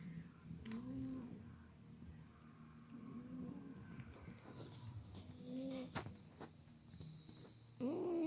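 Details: Persian cat snoring in its sleep while huskies doze close by: three faint, tonal, slightly wavering snores spaced about two and a half seconds apart, with a few soft knocks and a brief louder rustle at the end.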